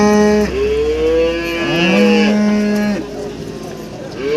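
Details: Breeding cows, some with calves, at a crowded cattle market in Warujayeng, Nganjuk, East Java, Indonesia: long harmonic moos, one sliding upward and another held steady, overlapping across several seconds over a low background rumble.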